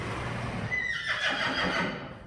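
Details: Friesian horse in a Dutch herd, heard during mane washing: a short whinny that starts high and slides downward before breaking into a rougher, pulsing tail, over steady background noise and Dutch speech.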